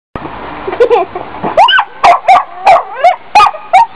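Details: Dog barking in a quick irregular series after a short quiet lead-in, each bark sharp with a bent, rising-then-falling tone, about eight barks in four seconds over a steady background hum.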